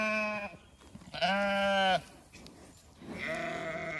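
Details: Zwartbles ewes on a regenerative farm in County Kilkenny, Ireland, calling out at evening feeding time so the flock spread over two fields hears them; loud harmonic bleats, one long wavering call near the middle and shorter ones either side.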